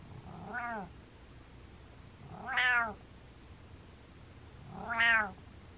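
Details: Butters, a happy pet cat, gives three short arched meows or mrehs, each rising then falling with rich harmonics, spaced about two seconds apart in a quiet room.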